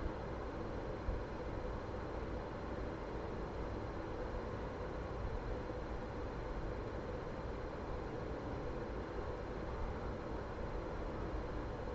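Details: Even, unbroken hiss and low rumble like an engine or fan runs throughout, with no bark or other animal voice.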